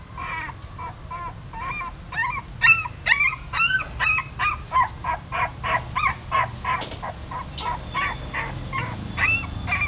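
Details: Puppies whine while a female dog moves her newborn litter by mouth from a pagoda stupa in Siem Reap: a steady string of short, rising-falling yelps about twice a second, shrill and tonal over low background rumble.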